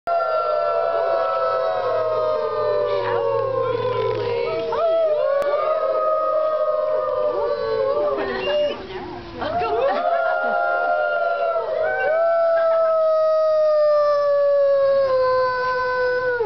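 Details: Wolves howling together, several long drawn-out voices overlapping, each gliding slowly downward in pitch with some rising starts, forming a continuous chorus through the whole recording.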